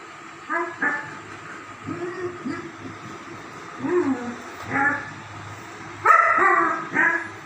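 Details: German Shepherd dogs playing together: short harmonic barks and yelps come in loose bursts, with brief rising whines and a louder cluster of overlapping barks near the end; steady low hum underneath.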